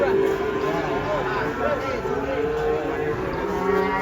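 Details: Cattle coming off a truck: a steady, sustained low moo with many layered harmonics, holding an even pitch and slightly wavering, over a constant background hum.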